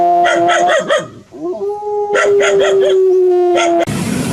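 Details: Dog howling: a few quick, sharp barks with wavering notes lead into a long, steady, drawn-out howl held for about two seconds with a few short barks over it, then a sudden burst of noise.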